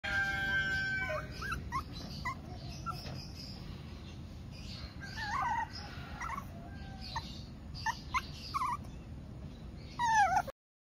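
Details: Three-month-old Shih Tzu puppy Wolfgang, trying to get attention and missing his owner, gives high squeaky whines and short whimpers in scattered bursts, ending with a louder, wavering cry.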